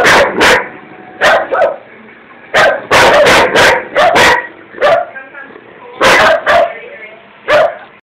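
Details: A German Shepherd gives a run of harsh, gruff barks with rough growling between them, aimed at its owner, who says the dog just seems to hate them for no known reason.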